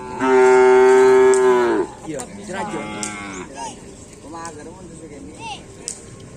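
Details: Bull from a karapan sapi bull-race team during training on a field at Aseamanis: one long, loud, steady moo lasting about a second and a half, then shorter wavering, falling calls fading out, with faint background music.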